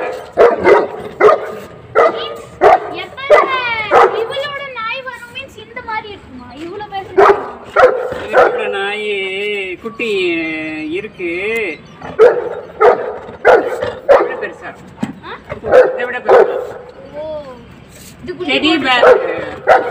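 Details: Dhiya, a female Saint Bernard puppy, fighting for her food and attention against Fluffy, a newcomer dog from the nearby area; steady rapid barks, about one and a half per second, broken midway by whining, wavering yelps.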